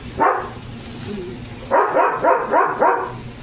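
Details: Leo, a pet German Shepherd, gives one sharp bark, pauses, then fires off a run of four quick, loud barks about a third of a second apart in a quiet room.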